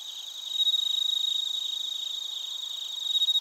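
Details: Close cricket chirping in Narita, Chiba Prefecture, Japan, recorded on a TASCAM Portacapture X8: a loud, fast train of shrill pulses, steady and ringing, swelling again toward the end over a faint chorus.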